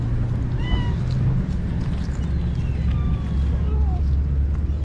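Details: Cats being fed by a kind person give short, thin meows: one clear rising-falling mew near the start, then a few fainter, falling mews later, all over a steady low rumble like an engine.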